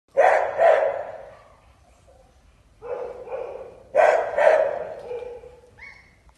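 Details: German Shepherd barking: a quick double bark, a softer pair of barks about three seconds in, then another loud double bark with a fading tail, in a quiet setting.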